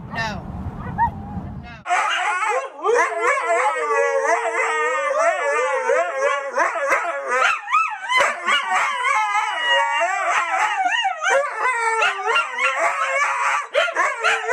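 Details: Singing husky among dogs that can sing away: a brief low rumble, then a continuous, wavering, yodel-like howl that rises and falls constantly, with quick warbles and sliding pitch throughout.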